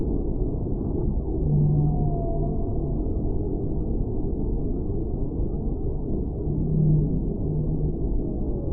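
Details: Whale song over a dense, low rumbling underwater noise bed: brief low steady tones near two and seven seconds, with a faint descending whistled sweep between them. The sound is muffled, with nothing in the upper range.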